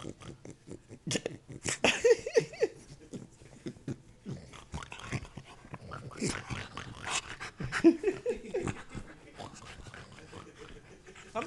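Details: Pot-bellied Beagle making pig-like sounds: rapid, irregular snorting and grunting pulses, some with brief nasal squeaks, while a person talks to the dog in the background.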